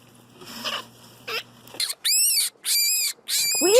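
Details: In a nest of excited bunnies, a rabbit gives three shrill, high squeals, each about half a second long and rising and falling in a bright, ringing arch, after a low hum and soft rustling.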